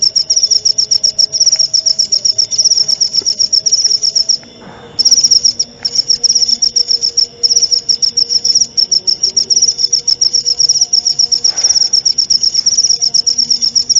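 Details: Cricket chirping used as song-learning material for magpie-robins, played at night and at dawn: bright high pulses in a fast steady stream, broken by a short pause near the middle, a soft thump also heard.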